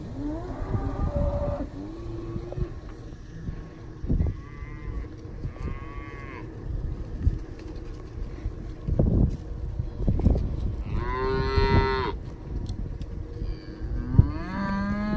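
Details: Charolais Cross, Red Angus, Beefmaster and crossbred cows with young calves aged 1-4 months. A few drawn-out moos, one louder and higher near the end, between thuds and a constant low rumble.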